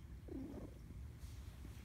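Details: Domestic cat purring while its owner talks to it: a low, continuous rumbling hum runs throughout, opened by a short chirping trill near the start, with soft background noise.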